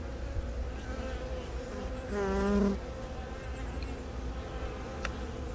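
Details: Honey bees on the comb during egg laying by a newly mated queen from a natural swarm, Yongin Baegam, Korea, April 20; low colony hum with one loud, tonal close-up buzz swelling for about half a second midway.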